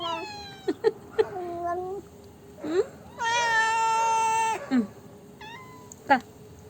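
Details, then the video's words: Indoor black cat making funny noises after Dairy Milk chocolate: a run of short chirping meows and clicks, then one loud, flat, sustained wail over a second long, followed by more brief chirps. "My cat makes funny noises after having dairy milk chocolate"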